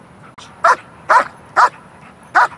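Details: A protection dog in training gives four sharp, evenly spaced barks, about half a second apart, taught to bark on cue at a ball as the start of alert training.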